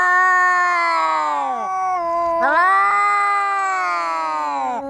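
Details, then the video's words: Cats fighting, giving long drawn-out yowls, sustained and wavering, with a sharp dip and rise midway before the howl resumes; loud throughout with no other clear sounds. "random.cats weird sound"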